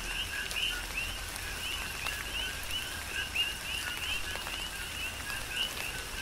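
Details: On the Big Island of Hawaii, coqui frogs call through tropical rain; distinct two-note 'co-qui' calls, a brief lower tone jumping to a rising whistle, repeat several times a second across a dense chorus, with raindrop clicks.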